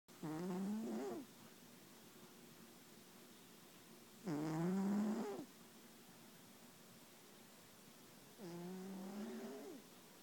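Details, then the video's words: A Bengal cat snoring loudly while asleep: three drawn-out, harmonic, nasal snores of about a second each, with the pitch sweeping up at the end and long quiet pauses of roughly three seconds between breaths. "Snoring Bengal Cat"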